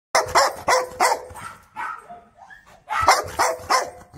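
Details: A big Rottweiler barks in quick bursts of three, each bark sharp and harsh with a strong mid-pitched tone.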